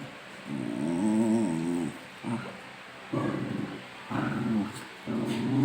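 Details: Domestic dogs teasing one another in play, making long harmonic growls with wavering, moaning tone, one sustained growl then several shorter grumbling bursts separated by brief pauses.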